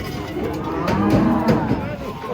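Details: Three giant cattle rage while coming off a truck at a market; a short, low, harmonic moo rises from a busy background with voices and crowd noise.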